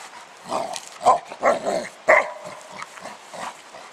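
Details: Spike, a pet dog, plays with a 10 lb weight while outdoors, giving a run of short, gruff barks or grunts, about four in quick succession, uneven in spacing, with a person's voice nearby.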